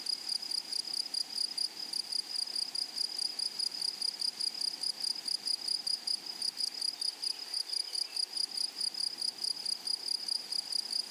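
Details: Grasshoppers in a flowery meadow, a dense, high, evenly pulsed chirping with a faint overtone above it. The rapid pulses run steadily for the whole stretch, with no other clear sounds.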